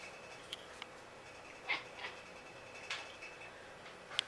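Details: A cat watching birds on a deck gives soft, clipped, bird-like chirps, about six short high bursts spaced irregularly over four seconds, against a faint steady electrical hum.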